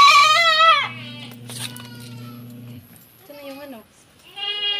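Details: Goat kid receiving a B-complex injection on a Philippine farm; one strong quavering bleat opens, followed by a low hum, a click, then two shorter, softer bleats.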